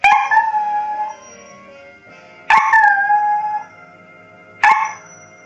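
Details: Pet Lhasa Apso singing along to the Coronation Street theme tune: three drawn-out, tonal howls, each about a second long, start abruptly at roughly two-second gaps over the steady music of the theme.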